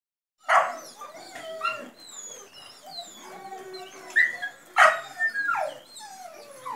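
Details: German Shorthaired Pointer from Leget, shown at work and in training for order and discipline, giving high, wavering whimpers and whines. Sharper yelps rise out of them near the start and again around the fifth second, with brief quieter gaps between.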